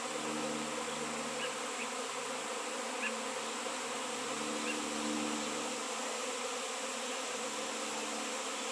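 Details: Many honey bees swarm around a 7 lb piece of raw shungite after years without honey bees locally; a constant, low, layered hum swells slightly midway, with a few faint high ticks above.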